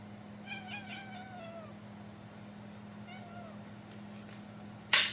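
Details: Kitty making funny noises indoors: a drawn-out wavering meow sliding downward, a quieter shorter meow later, over a steady low hum, ending with a loud clatter.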